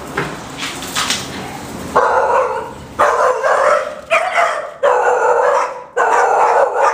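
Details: Female Boxer puppy, five months old, barking indoors: five loud, broad, rough barks at uneven gaps of about one second, each a short harsh burst, preceded by two seconds of quieter background noise.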